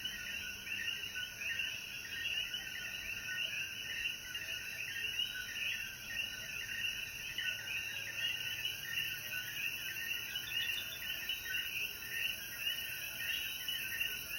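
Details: Coquíes calling after the rain at sunset in the mountains of Jayuya, Puerto Rico: a dense chorus of overlapping chirping calls fills the middle-high range, over a steady high-pitched insect hiss.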